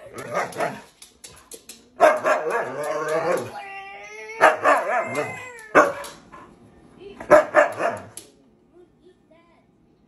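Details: Siberian Husky playing with its owner, giving bursts of yippy, drawn-out vocal calls between pauses, mixed with human speech and background music.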